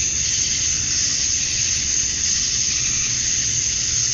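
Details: Male cicadas calling to attract females at summer dusk in Georgia, USA: a dense, unbroken high-pitched hiss that holds steady throughout, with a faint low rumble underneath.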